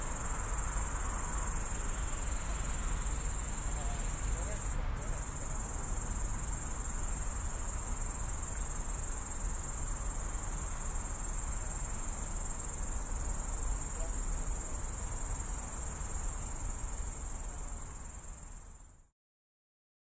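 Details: Grasshopper calling at night from a bush next to a road on the edge of Tallinn, Estonia, recorded on a phone: a sustained high hissing drone with a brief click near five seconds, low traffic rumble, then the recording fades out into silence.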